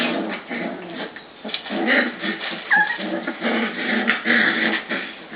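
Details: Two pups arguing in their kennel pen; rough overlapping growls with whimpers and a few high yips, fairly steady throughout.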